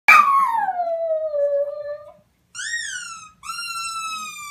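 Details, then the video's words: A puppy makes a strange sound: a long, loud howling whine that slides steadily downward, then after a brief pause a shorter whine that rises and falls, followed by a steady, slightly falling whine. "Puppy with strange sound."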